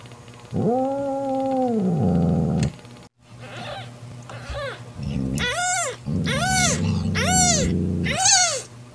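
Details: Mother cat Mocha growls to drive off her jealous sister Kofi, who wants to take Mocha's newborn kitten. A low buzzy two-second growl opens, followed by a run of high, arched, repeated meows over a steady hum.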